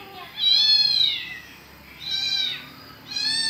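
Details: Domestic cat, said to like visiting a mosque, gives three drawn-out meows, each a high arched wail rising then falling, spaced about a second apart, with a quiet indoor background.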